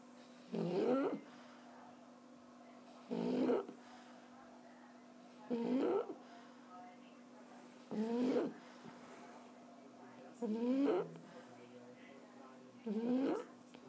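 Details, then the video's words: Sleeping, relaxed French Bulldog snores in a steady rhythm: rasping, snorting breaths with a short rough rise, repeated about every two and a half seconds, quiet hum in between. "Erna, die französische Bulldogge schnarcht"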